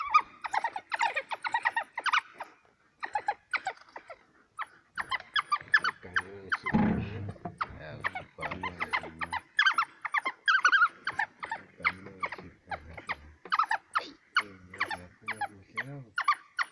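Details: Wild dogs at a kudu kill, Hwange National Park near Gwango, give dense bursts of high chirping twitters, overlaid mid-clip and near the end by lower, drawn-out moaning cries.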